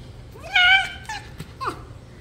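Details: TYR, a pet red fox, playing gently indoors with its owner: a rising, nasal, harmonic screech, a shorter second cry, a sharp click and a brief descending yelp in quick succession in a quiet room.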